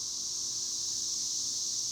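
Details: High in the trees, cicadas keep up a continuous sizzling drone, level and unvarying from start to finish, with nothing else standing out.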